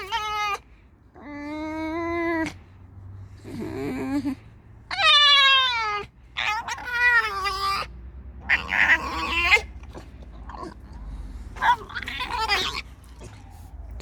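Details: A tame red fox, just woken and being stroked, gives loud, drawn-out squeaking whines, some falling in pitch, with brief pauses between, seemingly complaining about the dogs.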